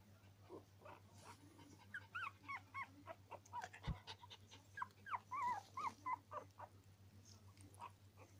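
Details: Whining from Norwich Terrier puppies, a busy string of thin wavering squeals and short whimpers, several per second, with a soft thump midway and a constant low electrical hum underneath.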